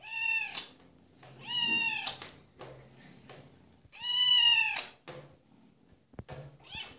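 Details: Sealpoint Ragdoll female kitten, three months old, indoors, giving three drawn-out, richly harmonic meows spaced a second or two apart, the last the loudest and longest, with a faint click near the end.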